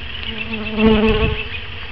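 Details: Italian honey bees from new packages being introduced into their hive on April 3, 2012: a steady, dense droning buzz with a low hum that swells briefly in the middle.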